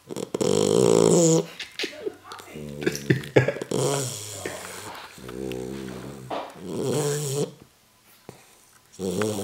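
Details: Tibetan Mastiff puppy, nine weeks old, asleep on a couch and snoring loudly: rough, raspy, rumbling breaths in uneven bursts, with a short quiet gap near the end before snoring resumes.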